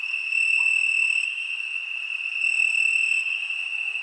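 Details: A steady, piercing cricket trill fills a summer night, one high note sustained throughout with soft overtones and slow pulses of loudness.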